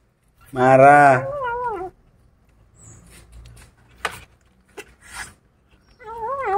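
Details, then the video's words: Angry kitten eating a rat gives one loud harsh moaning growl lasting about a second, then a softer wavering tail; after a quiet stretch with small clicks, the growl starts again. "Adorable Kittens Get Angry When They Disturb Their Eating"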